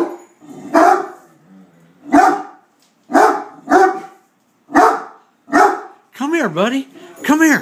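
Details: Hurley the Great Dane barks repeatedly at a beer keg, booming deep barks about once a second, then switching to rising-and-falling arched yelping cries at the end.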